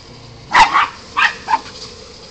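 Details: Puppy play between a Golden Retriever puppy and her Westie sister, three short yappy barks within one second, the first doubled, over a low indoor background.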